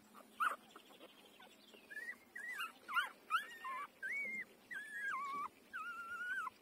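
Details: A five-day-old puppy while breastfeeding: a run of high, thin whimpers and squeaks, each short and wavering, some bending up then down, coming roughly every half second, with soft rustling between.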